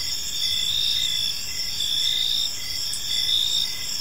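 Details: Evening in a quiet park, crickets keep up a continuous shrill chorus, several high trilling bands pulsing in slow waves about once a second, layered over soft background noise.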